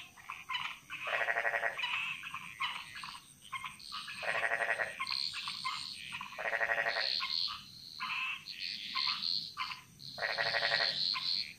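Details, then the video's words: Frogs in the Bali jungle. Strong rattling croak bursts repeat roughly every three seconds, with shorter, higher chirping calls from other frogs filling the spaces between. "Frog Mantras - Relaxing Sounds Of Bali"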